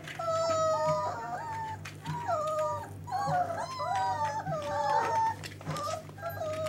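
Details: Dogo Argentino in a playful mood, giving a run of high, wavering whines and yelping cries that slide up and down in quick bursts, with short pauses between them, over a steady low hum.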